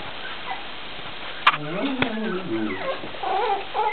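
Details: Baby Cocker Spaniel puppies waking up gently, giving a run of high, wavering whimpers and squeaky yips that slide downward, starting after a sharp knock, with soft rustling and quiet Dutch speech nearby.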